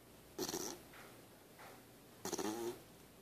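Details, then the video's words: Pooka, a sleeping puppy, snoring: two loud rasping inhalations with fluttering pulses about two seconds apart, with fainter softer breaths between them, in a quiet room. "My puppy snoring"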